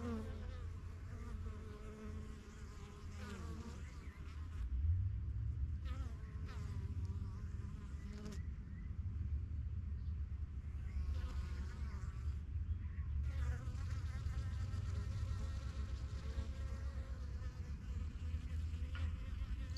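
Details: Backyard honey bee hive, the strongest of a few new hives begun in spring 2023, bees getting used to the surroundings; low continuous droning buzz, loudest near the start as a bee passes, with short breaks in the higher hum.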